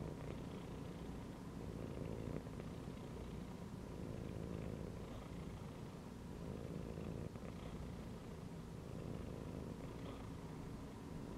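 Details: Domestic cat chilling and resting while lying inside a gym belt, purring: a steady low rumbling drone that continues without a break, with a faint background hum.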